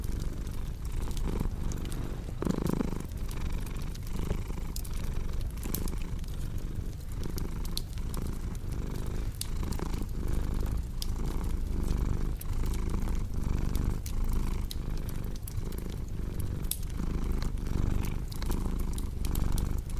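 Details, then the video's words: Continuous low, rhythmic purring from a pet cat, pulsing with its breathing, mixed with frequent snapping crackles of a burning fireplace throughout. "Purring Cat with Cozy Crackling Fireplace Sound"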